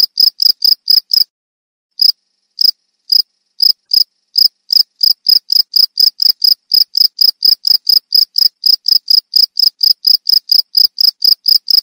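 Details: Sweet-voiced cricket, presented as a rat repeller and therapy sound for songbirds: rapid high chirps, a short silent break, a few scattered pulses, then a long regular run of crisp repeated chirps.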